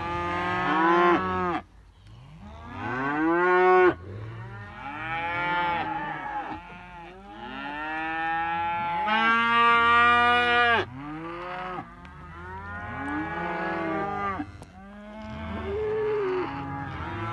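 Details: Several young Simmental cattle bellowing almost continuously, long harmonic moos overlapping one another, each swelling then bending downward, with only short gaps between calls.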